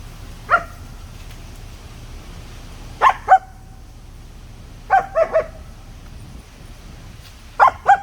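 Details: Sangi, a German Shepherd puppy, barks while playing with his sticks: short, sharp barks in clusters of one to three, separated by pauses of about two seconds, against a quiet background.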